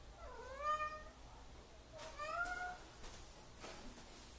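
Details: Domestic cat perched up high, refusing to come down while a person coaxes it. Two drawn-out meows about two seconds apart, the first dipping then rising, the second rising then levelling off, followed by a few soft knocks.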